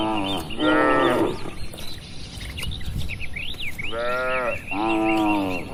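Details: Tame cattle in a crowded farm pen give a loud moo, then fall quiet while small birds chirp and twitter, before two more rich, wavering moos follow close together.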